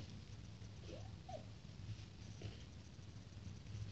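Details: Two-week-old Shih Tzu puppies playing indoors; two short, thin squeaks rise and then fall in quick succession early on, followed by soft rustling and a steady low hum in the room.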